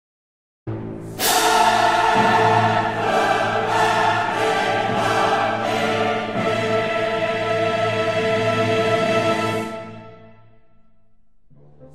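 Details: Choral and orchestral music plays throughout, with no animal sound.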